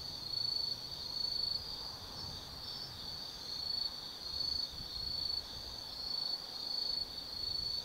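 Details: Forest insects singing on an autumn night at Tsukimi no Mori, Gifu, Japan, overlooking the Nobi Plain; high continuous trilling rises and falls in loudness roughly every second, over quiet low rumble.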